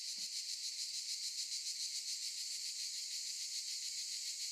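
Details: Cicadas singing in olive trees: a dense, hissing, buzzy chorus that pulses steadily about three times a second without a break, with one brief low thump at the very start.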